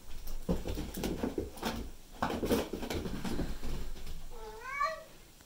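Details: Indoor meow from one of two male house cats, Tom (black and white) and Mimi (white and ginger): rustling and thumps for four seconds, then a single short rising-falling meow near the end.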